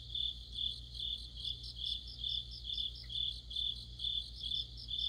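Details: Crickets singing with other insects in the heart of autumn; rapid high-pitched trilled pulses swell and fade about twice per second, layered voices overlapping, with a soft click and a steady low drone behind.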